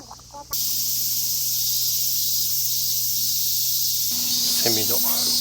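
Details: Cicadas singing at a temple grounds during a hot summer 2023 trip through Iwate and Miyagi, Japan: a dense, continuous high buzzing drone that holds steady throughout, with people's voices briefly at the start and near the end.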